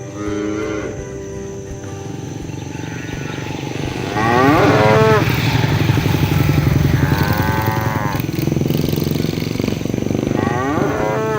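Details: Herded cattle roaming the fields, calling their friends to come home to the barn: several drawn-out, falling moos with rich harmonics over a steady low engine-like hum and faint music.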